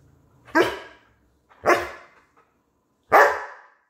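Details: Female German Shepherd barking while fighting with her owner over her toy: three loud, harsh barks, each short and broad, spaced roughly a second apart, with quiet gaps between them.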